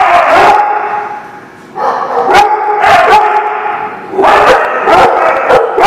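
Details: Dogs at a place called The Barking Lot, recorded 3/30/19: several overlapping sharp barks and yips amid a dense, continuous din of other dogs, the barking coming in bursts about every second.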